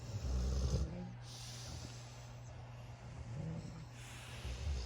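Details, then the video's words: Puppy asleep among his brothers in a puppy pile, snoring loudly: deep throaty snorts open and close the stretch, with hissing breaths in between over a constant low hum. "Loud puppy snoring"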